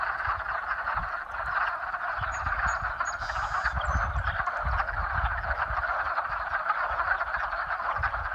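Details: In spring, a dense chorus of mating frogs calls with a steady rasping trill and low rumbling underneath.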